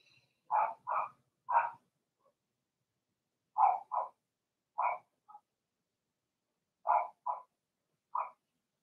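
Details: Young Blenheim Cavalier King Charles Spaniels barking in a puppy pen; clipped high-pitched yaps in twos and threes, groups about every one to two seconds, with short silences between bursts.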